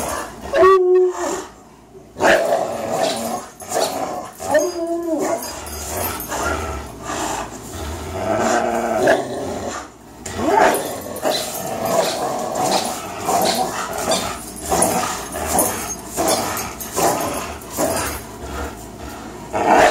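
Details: A Greyhound named Fox and a German Shorthaired Pointer named Miles, both three years old, in a tug-of-war marathon. Continuous rasping growls are broken by a few higher, tonal whine-like cries near the start.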